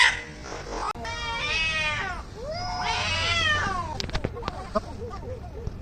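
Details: Fighting cats let out two wavering, arched yowls, followed by clicks, knocks and faint shuffling noises as the cries fade.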